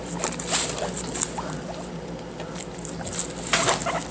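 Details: Pet guinea pig kept in a cage eating banana: quick soft wet chewing clicks and smacks in irregular bursts, with a few sharper crisp ticks over a low steady household hum.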